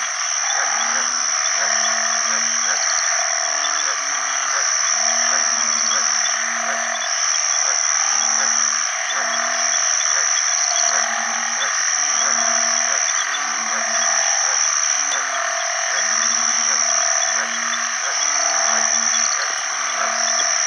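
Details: Mate-seeking chorus of banded bullfrogs, called ueng khi khan in Isan, in water after heavy rain early in the rainy season. Low moaning notes come in clustered bursts every couple of seconds beneath a loud, hissing, high chorus of frogs and insects.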